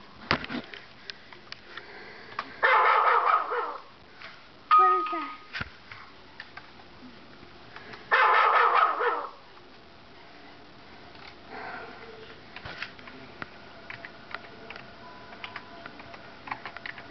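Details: Dog barking played from a computer, setting off a pet dog named Moxie, who runs to check the windows. There are two loud, harsh bursts of barking about five seconds apart, with human talk and clicks between them.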